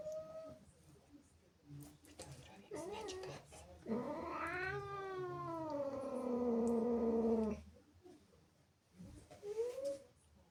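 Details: ['An angry caterwaul from Zippy, a female house cat upset by kittens sharing her territory indoors: a loud sustained howl rising then slowly sliding downward for almost four seconds, framed by short mews and thumps.']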